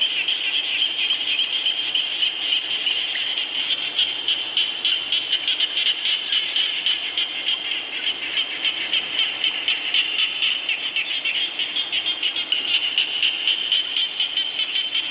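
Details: Frogs calling during falling rain, recorded as a nature soundscape for sleep: a dense chorus of rapid, pulsed croaks packed in a high, buzzy band, overlapping callers repeating several times per second throughout.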